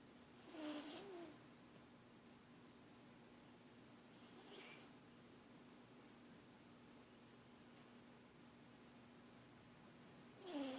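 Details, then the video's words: Brutus, a pet cat that habitually snores, recorded at rest indoors: soft breathy snores spaced several seconds apart, each with a faint squeaky rising whistle, over a steady low room hum. "The snoring cat Brutus"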